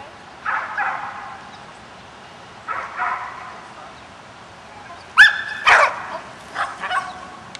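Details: Smooth Collie, a five-and-a-half-month-old puppy meeting sheep, gives scattered sharp barks in short bursts with quiet gaps between, including a high, ringing yelp midway, followed by a few quicker, fainter barks.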